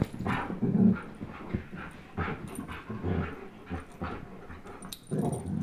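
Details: A 10.5-month-old German Shepherd named Chase and a one-year-old Old English Sheepdog named Blizzard play tug of war, giving low rumbling growls in uneven bursts with scuffling and thumping between them.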